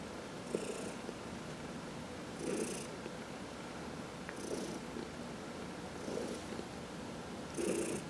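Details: Domestic cat purring while being massaged, one of four cats indoors; soft low rumbling purr with breathy bursts recurring about every two seconds.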